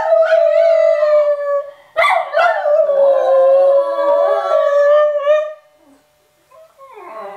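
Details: Parent dog and two young howling as a family of three: a long steady howl, a sudden loud rising entry near two seconds that wavers down, then quiet and a short yelping voice near the end.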